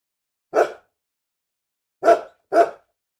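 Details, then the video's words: Angry dog producing three isolated harsh barks, the first alone, then a pair about half a second apart, over total silence. "SOM DE CACHORRO BRAVO LATINDO - CHORANDO, ROSNANDO BARULHO DE CACHORRO"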